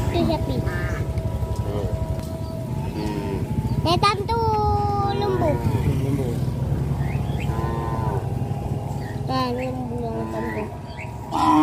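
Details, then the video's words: Herd of traditionally bred cattle walking toward a field, several cows lowing with drawn-out, wavering moos that overlap and bend downward, over a steady low engine-like rumble throughout. "the sound of cows"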